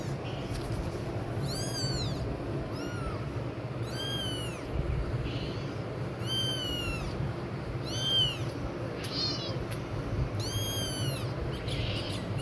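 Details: A kitten cries loudly while adult cats respond: clear, curved meows rising and falling, repeated roughly every one to two seconds, with a continuous low rumble underneath.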